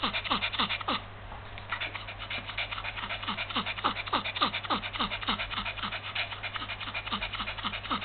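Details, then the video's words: Small Yorkshire Terrier with heat stroke, February 2015: rapid, steady panting, about three to four short raspy breaths each second, unbroken from start to finish. "perrito con golpe de calor"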